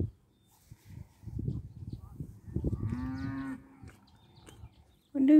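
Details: Cattle calling in a field, watched by a rider on a nervous horse; one long, level moo lasting under a second, preceded by low rustling and hoof or movement noise, with faint background music.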